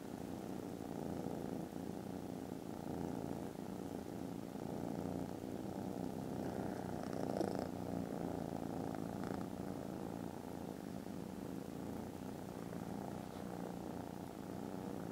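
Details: Very loud purring from contented foster kittens snoozing after lunch, recorded 18 December; a steady low rumbling drone holds throughout with no break, and a faint brief rustle sounds midway.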